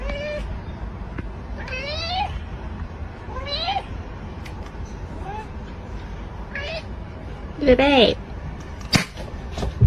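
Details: Domestic cats meowing several times across ten seconds, short tonal cries that bend upward or arch and fall, spaced a second or two apart, over a steady low rumble, with a louder strained meow near the end and a sharp click.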